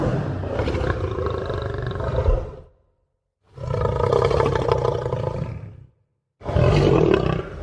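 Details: A lion gives deep, rumbling roars, each lasting over two seconds, with brief silent pauses between them.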